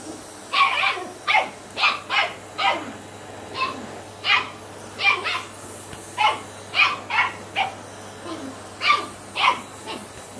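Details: Sian, a Shetland Sheepdog puppy of 10 weeks, objecting to the Hoover vacuum cleaner with a long run of high, sharp yapping barks, roughly two per second, some in quick doubles, over a low steady hum.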